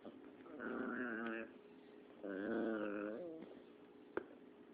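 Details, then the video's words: Dexter the cat making strange noises while playing catch: two drawn-out, tonal, slightly wavering calls of about a second each, separated by a short pause, indoors, followed by a single sharp click. "Dexter makes strange noises when u play catch"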